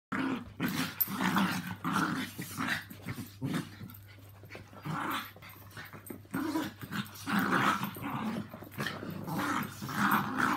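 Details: Three pet dogs indoors, Yorkshire Terriers Walt (three years) and Milly (four years) with Harvey, a two-year-old Maltese, playing wildly together at home; rough, rumbling growls in repeated bursts with scuffling and short gaps between.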